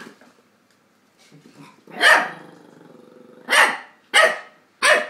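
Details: Play between Tony, a two-year-old Chihuahua, and Dexter, an eight-week-old English Staffordshire pup: soft low grumbling, then a loud bark followed by a drawn-out growl, and three more sharp barks in quick succession.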